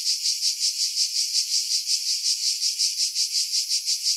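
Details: Cicadas in pine trees above Pefkos Bay, Skiros Island, Greece, July 2018; shrill buzzing song rising and falling in even beats, close to three pulses each second, with no other sounds.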